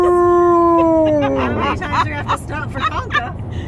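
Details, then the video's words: Alaskan Malamute howling inside a car on a road trip: one long, steady, tonal howl that slides gently downward for about a second and a half, then gives way to people talking. "Malamute Howling In Car On A Road Trip"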